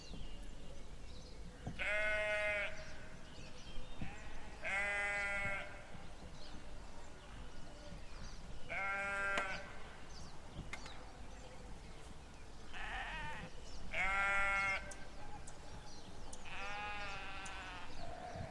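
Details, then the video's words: Sheep bleating: five separate wavering, nasal bleats, each about a second long, spaced two to four seconds apart over a low rumbling background. "Efeito sonoro de ovelhas 🐑 Sheep 🐑 Oveja 🐑 羊"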